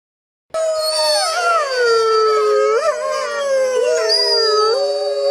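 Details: Wolf howling: several overlapping voices in long, wavering, sliding tones, with one voice falling and others rising and bending, after a short silent start.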